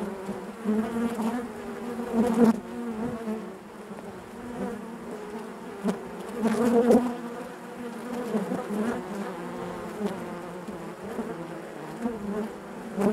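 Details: Inside a honey bee hive, a continuous droning buzz with layered low tones, rising into several louder surges as bees move close, around two and a half and seven seconds in.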